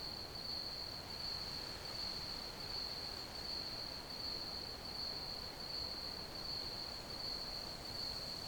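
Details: Crickets keep up a continuous, shrill, evenly pulsed trill, with soft broadband hiss and rumble running beneath.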